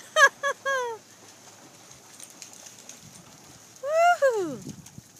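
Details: Doberman Pinscher at the ocean barking for a ball before swimming after it: three short, sharp, harmonic barks in quick succession, then a pause and one longer bark sliding down in pitch, over faint surf.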